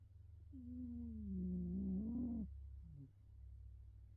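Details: Betty the cat, asleep face down, gives one long, nasal, humming snore that wavers and rises slightly before cutting off, then a short faint follow-up breath, over a steady low background hum.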